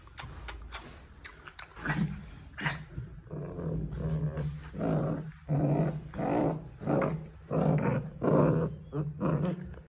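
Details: Angry Rottweiler growling at its owner: deep, rough growls in rhythmic pulses about once a second, swelling and fading with each breath, with some clicking and handling noise early on.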